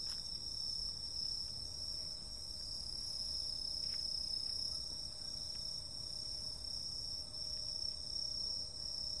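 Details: Insects on a summer night keep up a dense, shrill, continuous trilling at several high pitches, with a softer pulsed buzz below, occasional sharp ticks, and a quiet low-pitched hum throughout.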